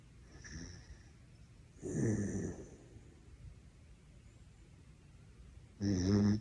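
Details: Snoring from Horongi, a pet dachshund whose snores woke someone up: two rough, rumbling snores, each under a second long, about four seconds apart, with quiet breathing between.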